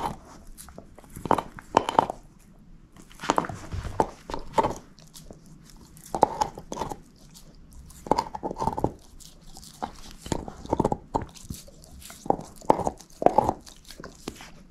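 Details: Shepherd mix named Moose eating a bone, producing loud crunching bites in uneven clusters of two to four snaps, separated by brief quieter pauses of wet gnawing.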